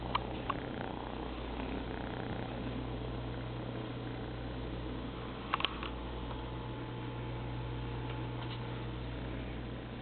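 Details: A very small kitten exploring the world, giving a low, steady rumbling purr that holds throughout, with a few brief clicks and soft taps from movement indoors.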